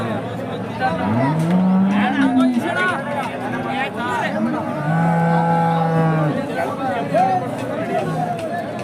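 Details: Hallikar cattle at the busy KG temple cow market fair in India give two long, low moos, the first rising and wavering, the second flat and steady, over people talking in Kannada and market chatter.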